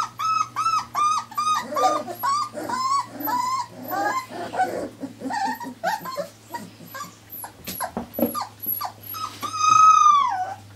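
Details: Irish Terrier pups, four weeks old, whimpering and yelping in rapid, irregular high cries, many short whines with a longer drawn-out wail near the end, steady low hum behind.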